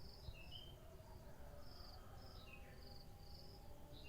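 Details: Morning cricket chorus of brief, high, pulsed chirps in uneven runs, over a constant low background hum, with a few sliding whistles from other animals.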